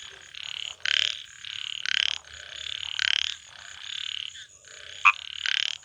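A frog gives harsh, buzzy, high-pitched croaks, repeated roughly every second.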